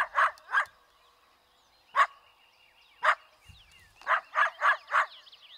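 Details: Angry eastern coyote barking in sharp, irregular bursts: two quick barks, then single barks a second apart, then a rapid run of four. Faint descending yips sound underneath.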